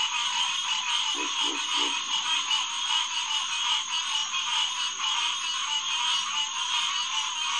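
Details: Green tree frog (Hyla cinerea) chorus on a June 2, 2021 night at Headquarters Pond, reached by boardwalk; many overlapping nasal calls, three short low grunts near the start, constant high whine behind.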